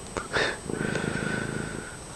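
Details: Fred, a friendly domestic cat wandering around indoors, purrs loudly: a low, steady, finely pulsed rumble after a short burst of human voice at the start.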